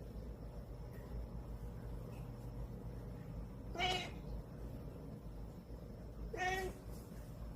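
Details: Drowsy cat fussing before bedtime lets out two brief nasal meows roughly two and a half seconds apart, each clear and harmonic, with a quiet humming background between them.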